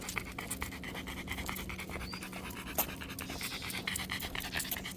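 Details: Dog on a walk, recorded with a Samsung Galaxy S24 Ultra phone: quick, rhythmic breathy panting, a steady run of short airy puffs throughout, over a faint low hum and light outdoor background noise.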